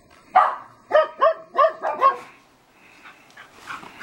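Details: A quick burst of five or six rapid, ringing barks from two sheltie girls playing rough in a backyard at sunset, followed by softer yips and quiet.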